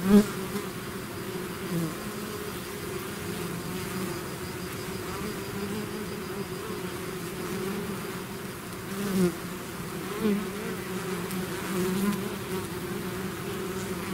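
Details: Swarm of bees leaving the hive: constant deep drone with individual bees buzzing past close by, brief louder swells around the middle and a few faint clicks.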